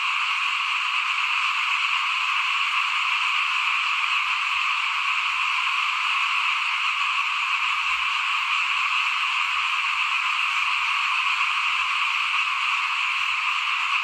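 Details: In front of a house during rice sowing in 2021, many frogs call together in a continuous, shimmering high chorus, unchanging throughout, with a faint low rumble beneath.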